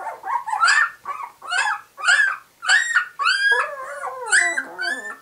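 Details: Two-week-old White English Cream Golden Retriever puppies just opening their eyes cry in high squealing whines, some drawn out and sliding downward, in quick overlapping bursts.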